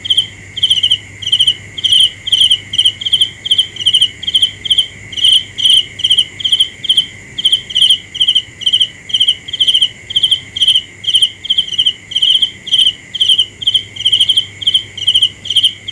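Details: Nighttime cricket chirping: bright trilled pulses repeated steadily about twice per second throughout, over a constant high insect drone.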